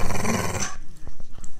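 A Staffordshire Bull Terrier growls low and throaty in a steady, rough rumble, given on a command to attack. The growl stops abruptly, leaving a few faint clicks and quiet room sound.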